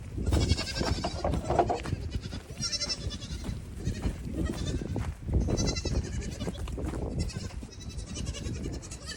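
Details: Goat kids racing back and forth and hopping on things in the evening while their mothers eat grain; scattered bleats rise over heavy thumping of running hooves and general barnyard rumble.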